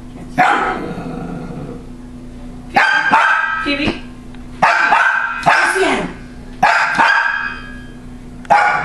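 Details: Female pet dog barking and growling at a rolling, laughing sensor toy: bursts of loud harmonic barks with gaps of one to two seconds, some ending in whiny tails, steady humming underneath.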